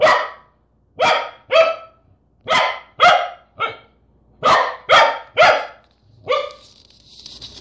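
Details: Corgi versus a peanut butter jar: steady bursts of loud, sharp barks, often in pairs and triples about half a second apart, ending with a softer bark and a light rattle.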